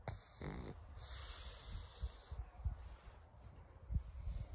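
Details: Carlos, a pug, giving soft snoring, snorting breaths: low, rumbling pulses in irregular bursts roughly every half second, each swelling and fading, with a brief airy rushing noise near the start.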